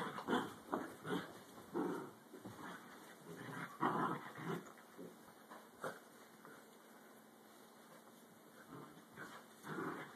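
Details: Dachshunds fighting, with dense, gravelly growls and snarls packed into the opening seconds. The bursts grow sparser, pause briefly around the seventh second, then flare up again near the end over a faint constant hum.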